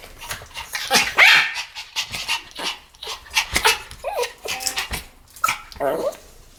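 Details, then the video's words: Pomeranian pair barking together, irregular high yaps and a couple of strained, whiny barks mixed with softer yips, the pace looser and quieter than a full barking run. "ポメラニアン Pomeranian デュエット吠え 1000回 犬の鳴き声"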